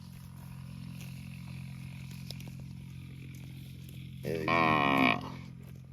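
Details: Cow mooing in a park: after several seconds of steady low hum, one loud, harmonic, nasal moo rises near the end and holds for about a second before cutting off.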